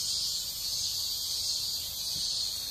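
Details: Cicadas singing live outdoors behind a broadcast, joked to be singing 'amen'; a steady, dense, high-pitched buzz runs unbroken through the whole stretch, with no voices over it.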